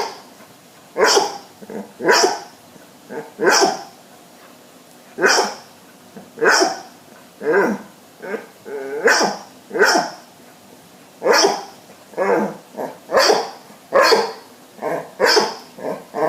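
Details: Babette and Luke, two pet dogs, in a sneeze-off after Babette rejects Luke's advances: a long run of brief, crisp sneeze-like bursts and short barks, one roughly every second, with little other noise.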